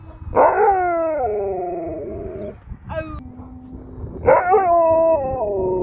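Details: Alaskan Malamute named Sherpa, a pet dog reacting to a girl being taken home, giving loud drawn-out harmonic howls that slide downward, a short high yelp near the middle, then another strong howl falling in pitch toward the end.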